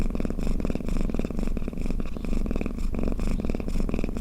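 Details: Domestic cat snoring and purring while asleep, a steady low rumbling pulse with soft breathy bursts roughly every half second, continuous and even throughout.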